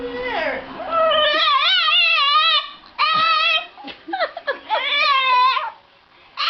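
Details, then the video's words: Pet dog making funny, talking-like vocal sounds indoors: long wavering, whining howls with bending pitch, in several drawn-out phrases separated by short breaks, ending in quick choppy yelps. "Three funny sound made by dog"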